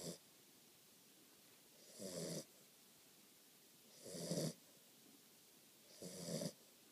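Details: Catahoula Leopard Dog puppy snoring while asleep; rasping, buzzy inhalations come regularly roughly every two seconds, four in a row, with near silence between.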